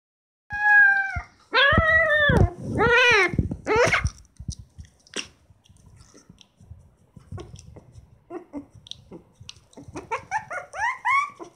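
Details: Twenty-day-old Shiba Inu puppies from a litter of seven; a few loud wavering whines and yelps early, then faint rustling and clicks, ending with a run of short high rising squeaks.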